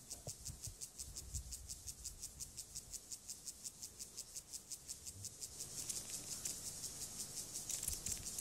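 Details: Male Siberian grasshopper courting a female with stridulation: a rapid series of soft, high hissing rasps, around three per second, with some faint rustling and noise late on.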